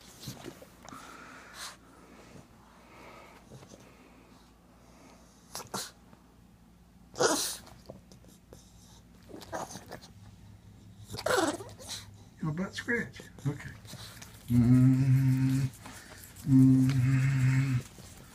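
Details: A male pug making weird sounds after its owner stops scratching its rear: scattered snorts and sneezy puffs over quiet, then two drawn-out, steady low groaning moans near the end.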